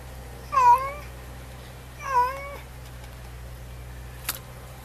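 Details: Domestic cat, a neighbour's cat on a porch, meowing after a lizard it caught keeps escaping; two clear drawn-out meows about 1.5 seconds apart, each bending down then up, followed by a brief click and quiet indoor hum.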